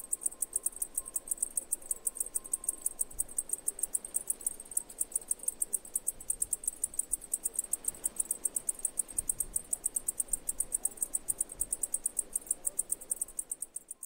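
A cicada chirps in rapid, high-pitched pulses, repeated steadily several times a second.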